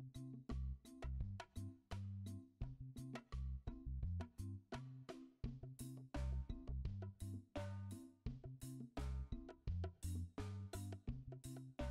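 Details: A drum-driven instrumental track with steady beats and bass notes plays throughout, with no animal sound.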